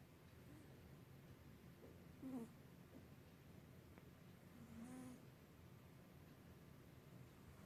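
A sleeping Persian cat snores softly, low rumbling breaths recurring every few seconds.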